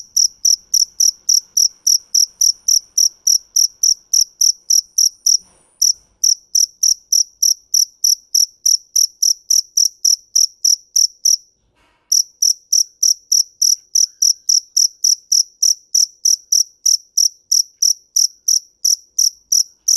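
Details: Long bout of field cricket (dě mèn) chirping: sharp high chirps about three per second, interrupted by brief breaks near six and twelve seconds, then continuing steadily over a quiet background.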